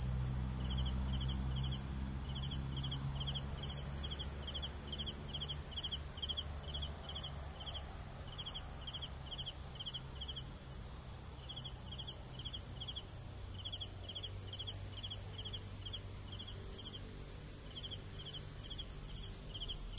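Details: Crickets calling for a sleep soundscape: regular pulsed chirps in runs with short gaps, about three per second, above a continuous high-pitched trill and low background hum.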